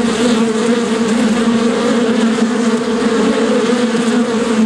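A bee's buzz fills the recording, a continuous low drone with a slightly higher overtone. The hum stays even and unbroken, with only faint background hiss.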